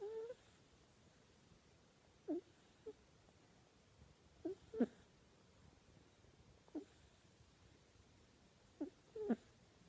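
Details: Ryu, a kitten, asleep and giving off strange snoring breaths: brief high squeaky whistles, often in close pairs, spaced a few seconds apart against near silence indoors.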